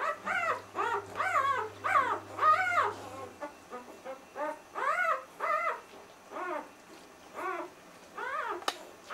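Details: Newborn puppies from a C litter, two days old, whimper and squeal in a steady string of arched, wavering cries about twice per second, loud and clear over a faint low hum at the start.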